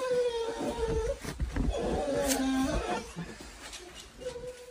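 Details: Golden Retriever that does not want to go to preschool, howling in drawn-out, wavering tonal moans: a steady note, a lower sliding wail in the middle, then the steady note returns, with some background clatter.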